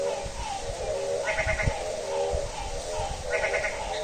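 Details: Frog calling at midnight on a rainy day, a bleating, goat-like call with a pulsed, nasal quality, two bursts about two seconds apart over a steady background hiss of rain.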